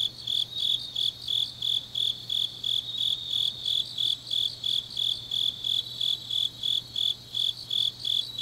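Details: Autumn grass insects singing deep at night in Changnyeong, South Gyeongsang Province, Korea: shrill chirps pulsing roughly three per second with a second, quicker high trill behind and a faint steady low hum.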